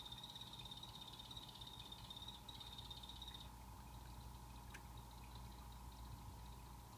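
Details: Calling pet blue-bellied poison frogs (Hyloxalus azureiventris) in a planted vivarium; a thin, high, rapidly pulsed trill that stops after a few seconds.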